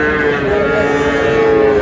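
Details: Sahiwal bull calves on sale at a Mymensingh cattle market in Bangladesh, 18 March: one sustained, even-pitched lowing moo fills the whole moment, rich in overtones, with market murmur underneath.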